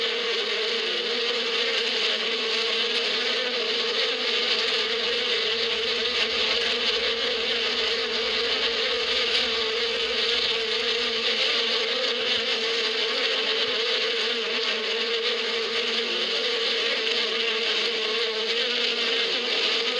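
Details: Many bees droning in spring out in the desert badia: a constant thick buzz that barely changes in loudness over twenty seconds, a low humming tone under a broad hissing layer.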